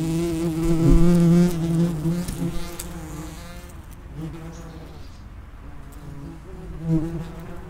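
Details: Common wasps flying at the mouth of their underground nest: a loud, close droning buzz for the first three seconds, easing to softer, wavering hums of several insects, with another brief close pass near seven seconds.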